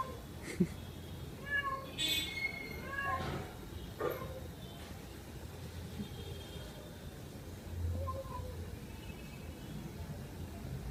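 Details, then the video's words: A cat calling while it drinks milk, with two quick meows close together early on, then a long pause and one faint drawn-out meow near the end, amid clicks and low rumbling noise. "Funny Cat Sounds"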